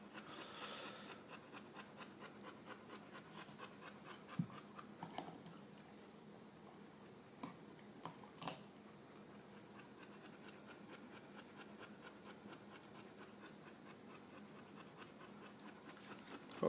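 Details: Apollo, a Boxer dog lazing about with another dog indoors, pants in soft, breathy, rapid pulses that keep up a steady rhythm throughout, with a few sharp clicks and thumps scattered between the breaths.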